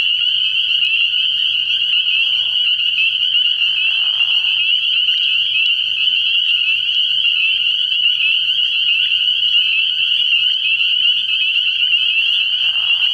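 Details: Early-year night chorus of spring peepers at a frog pond, many high piping peeps fused into a constant shrill drone, broken now and then by short, lower rasping frog calls beneath it.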